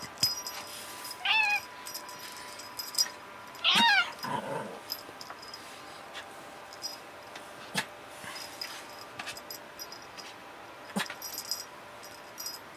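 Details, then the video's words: Becca, a tuxedo cat, meowing during play indoors: a short rising meow, then a louder, longer wavering meow around the four-second mark, followed by quieter rustling and clicking from play. "Tuxedo cat Becca meowing away during play !"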